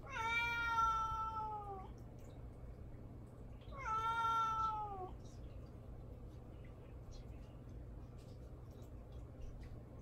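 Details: Domestic cat named Mamedaifuku meowing indoors for attention while ignored by its owner; two long, drawn-out, slightly falling meows about four seconds apart, then quiet room hum.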